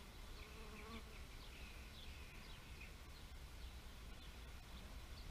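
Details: Buzzing bees with a humming drone that rises and falls, strongest near the start, over constant low background rumble and frequent short high bird chirps.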